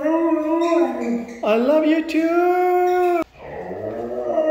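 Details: Sustained, wavering howls from a red female Siberian husky: a held tone sagging downward, then rising to a long level note that cuts off abruptly, followed by a quieter rising moan.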